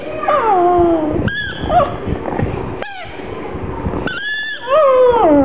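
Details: Gong Fu, a black pug mascot, cries while feeling sad over a little ball: long high whines that slide downward, broken by short bright yelps and brief pauses indoors.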